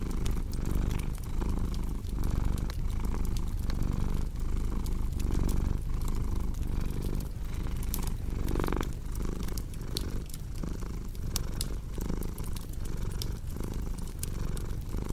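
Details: Over fifteen seconds a domestic cat purrs in a steady low drone, rising and falling with each breath, while a fireplace crackles and snaps in the background.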